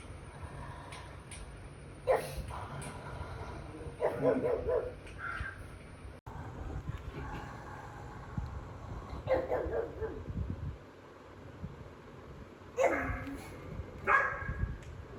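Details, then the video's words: Pet pug angrily barking at pugs and other dogs on a TV screen, jealous of them in his territory; scattered rough barks and short bursts spread over the stretch, with quieter gaps and a steady high-pitched electronic whine. "Pug vs pug & other dogs"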